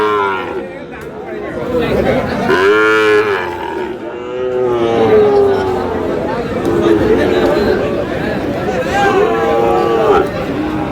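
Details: Sahiwal bull calves at the Aftabganj cattle market in Dinajpur, Bangladesh, at the start of trading on 8 August: several drawn-out, wavering moos rise and fall every few seconds over steady crowd chatter and bargaining voices.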